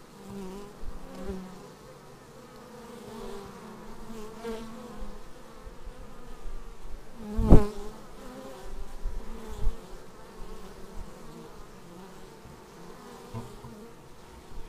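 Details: Arriving bees at a beehive on raw action-camera footage: a soft low drone of wings, one loud impact knock near the middle, and scattered bumps from bees landing near the lens.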